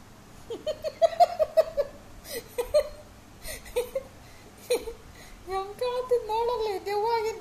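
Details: Labrador Retriever named Zoey whining indoors: short wavering moans, then a longer, drawn-out wobbling whine near the end. People chatter and call her name in Kannada between the cries.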